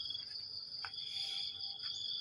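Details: Crickets on a fresh morning produce a constant shrill two-tone buzz that swells slightly. Faint short knocks and voice fragments sound in the background.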